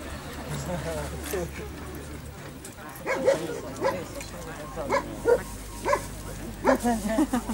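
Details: German Shepherd Holger, winner of the Dogs Villages Cup 2015 in Ukraine, during an escort-dog test in a guard and protection program. A man talks at first, then loud, sharp barks repeat roughly every 0.6 to 0.8 seconds, with voices still in the background.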